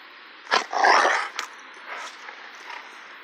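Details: A Cane Corso mix (80% Cane Corso, 20% Pitbull) lets out a sharp, short bark-like burst, then a harsher, drawn-out rasping sound; softer murmurs trail off in a quiet room.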